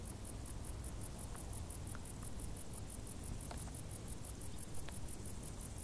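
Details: Summer crickets calling from tall grass, a steady stream of fast, high-pitched pulses ticking on without pause, set against a dull low background hum and scattered soft taps.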